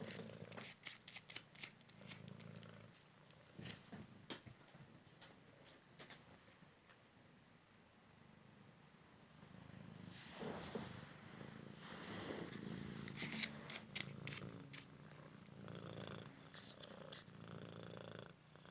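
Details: Rescued male Cymric cat, recovered from a car-crash leg fracture, playing fetch indoors; soft purring sits beneath frequent crackling paper rustles and clicking sounds, the purr fading in and out.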